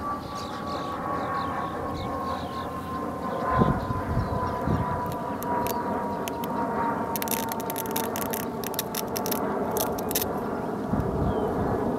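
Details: Steady mechanical drone and low rumble with a faint sustained tone, plus a burst of scraping clicks near the end; no animal calls stand out.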